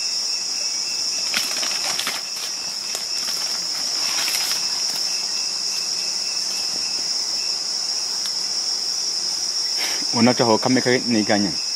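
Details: Wild bonobos of the BI group at Wamba, found on September 5th, 2018 responding to the corpse of an adult male group member. Near the end comes a quick burst of about six harmonic, arching calls over a steady high insect drone.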